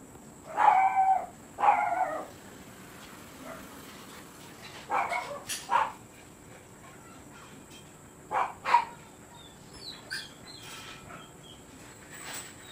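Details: Siberian Husky at Rocketkaito kennel, kept for stud service, giving a loose series of harmonic barks, some doubled in quick pairs, with quieter gaps between and a few thin high clicks near the end.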